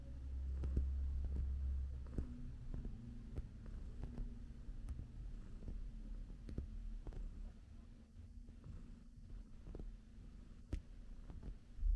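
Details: Quiet indoor room tone with a low steady hum and soft irregular thumps, no animal voice audible.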